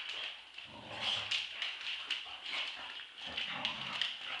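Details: Two Staffordshire Bull Terriers, a two-year-old and an eight-month-old, play-fighting in a tug-of-war game; rough growls and snuffling, huffing bursts come in quick irregular bursts throughout.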